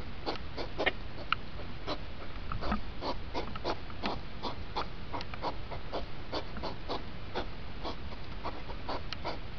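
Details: Hedgehogs during the rut, sped up from two hours to five minutes, giving quick repeated puffing snorts packed closely together above constant low background noise.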